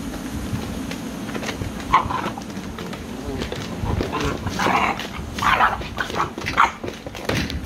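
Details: American Bully puppies yapping in short, scattered bursts over a steady low rumbling background, with several sharper yelps clustered toward the second half.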